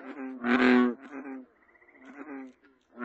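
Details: American bullfrog giving one loud, resonant, buzzy croak, followed by fainter drawn-out croaking notes and then the start of another loud call.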